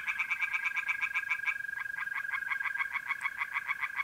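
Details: Tree frogs singing by night in a pond in North-East Italy, mid-April: rapid, evenly pulsed croaks repeated several times a second, with a brief pause before the chorus resumes, over a steady high trill of mole crickets.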